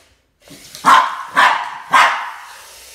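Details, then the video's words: Boston Terrier named Max barking while confronting a snake: three sharp, loud barks about half a second apart, with a quieter low grumble beforehand. "BOSTON TERRIER MAX Vs SNAKE"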